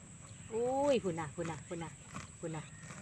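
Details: Water buffalo in the Isan countryside of Thailand, a mother named Ta Waan with young Khwan Ta: one loud, tonal, bleating call of about half a second that rises and then drops, followed by people talking nearby.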